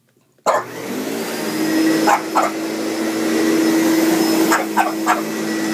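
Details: Hanky, a pet Boston Terrier, barks while scared of a running vacuum cleaner. Sharp barks come in two bursts, two then three, over the loud steady hum of the vacuum, which dominates throughout.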